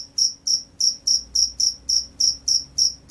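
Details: Close, clear field cricket chirps, bright high pulses spaced evenly about three or four per second, nothing else audible.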